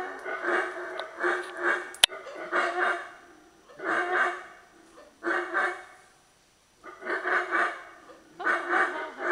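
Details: Hoarse, guttural roaring from howler monkeys near San Andrés, Guatemala, delivered in pulsing bursts about a second long, separated by short gaps, with one sharp click partway through and a longer pause before the final bouts.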